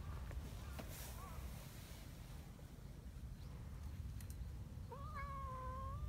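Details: Affectionate community cats gathering on a cold morning after running up a mountain path; a faint short mew early on, then one drawn-out meow that rises and levels off near the end, against constant low rumbling outdoor noise.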